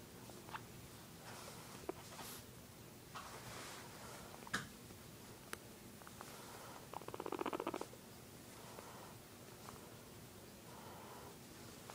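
A guinea pig gives a brief, low, rapidly pulsed purring rumble in a quiet room.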